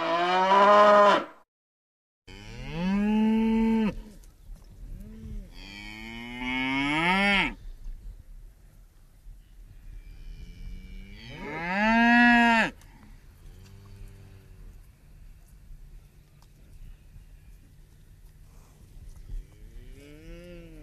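A cow gives several loud, drawn-out moos with rich harmonics, separated by quiet pauses.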